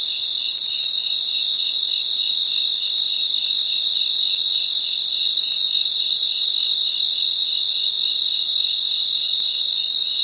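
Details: Nighttime cricket chorus in the wild, constant shrill ringing tones at several high pitches with a beating pulsed chirp beneath, dense and unvarying across the whole stretch.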